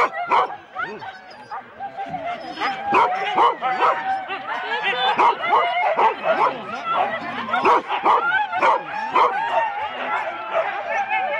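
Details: Four-dog Husky sled teams waiting at the start in Rendlesham, January 2016, giving a dense, continuous chorus of excited barks and yelps, more than two a second, with whines threaded through the noise.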